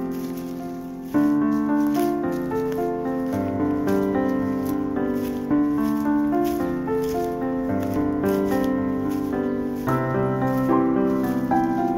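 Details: Gentle plucked instrumental music with a repeating melody throughout, over a mountain walk with a Jindo dog in cool tree shade; no animal voice is heard.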